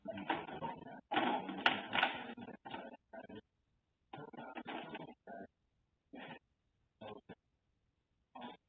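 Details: A Basenji caught after an escape gives a run of harsh, broken vocal bursts, some long and some clipped short.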